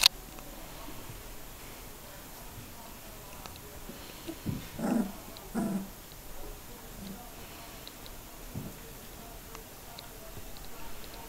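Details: Three-week-old Border Collie puppies learning to play and vocalise: two brief low whimpers or growls near the middle, then a few fainter grumbles, in a quiet indoor room.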